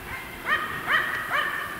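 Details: A Finnish Spitz gives quick, high, ringing barks, about two per second, holding a capercaillie hen at bay in a treetop during bird hunting in January 2025 winter dusk, the bird about 82 m away.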